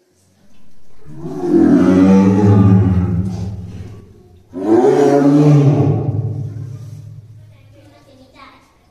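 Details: Caged tigers Dai and Ouga at Tobe Zoo in Ehime, Japan, early December 2023, pacing and growling; two loud, low, harsh growls of about three seconds each, strong and rumbling, separated by a short breath, then a quiet fading tail.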